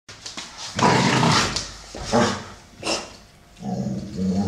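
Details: Two American Staffordshire Terriers playing, a brown 12-year-old male named Solo and a grey female named Shaya aged 1 year 8 months; rough growling bursts rise and fall in several long pulses, with scuffling between them.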